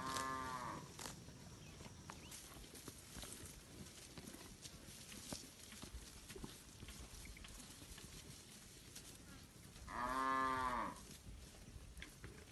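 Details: Herd of village cattle eating grass in an open rice field, answering one another: a drawn-out, harmonic moo opens the clip, and a second swelling, arching moo follows about ten seconds later over steady outdoor rustle and clicks.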